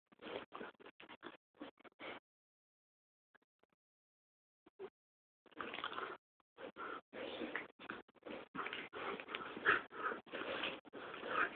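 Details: Two dogs, an Alaskan malamute and a much smaller Pomchi, play together; a rapid series of short, rough grunting growls, a pause of a few seconds, then longer, denser bursts of snarling play noise.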